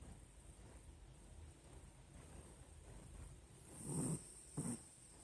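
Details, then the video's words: Nina the Pinscher sleeping, producing two short low snorts of snoring near the end after a stretch of soft breathing. "Nina pinscher roncando"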